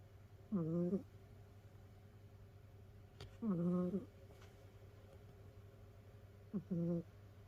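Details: A sleeping domestic cat in a multi-cat home of rescued cats snores with high, whistling breaths: three short tonal snores with bright overtones, roughly every three seconds, plus a faint click and a steady background hum.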